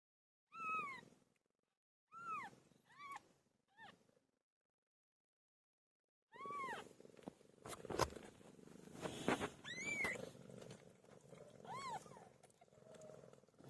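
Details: Pet cat named PILO giving birth: four short, arched, rising-then-falling mews in the first four seconds, then a denser stretch of overlapping mewing calls over a rustling, noisy background.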